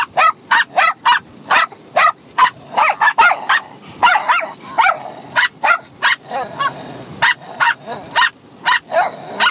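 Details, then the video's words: Six-month-old Bichon Frise puppy and adult dog barking at each other during rough play; steady volleys of high, clipped yaps roughly every half second, interspersed with brief growly, whining notes. "Bichon Frise Puppy & Dog Barking at each other Crazy for over 5 minutes"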